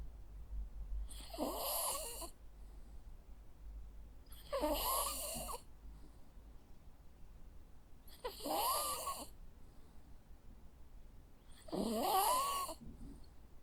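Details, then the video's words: Sleeping Jack Russell Terrier gives four husky, whistling snores, one roughly every three and a half seconds, with a low steady hum of room noise between them. "Sounds of a Jack Russell dog snoring. Cute sleeping and snoring sounds."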